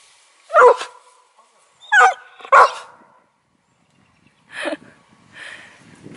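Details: Wheaten Terrier Tan in Korea during Covid-19, upset at finding none of his dog friends outside: three sharp, loud barks within the first three seconds, then a couple of softer yelps, with a woman talking in Korean nearby.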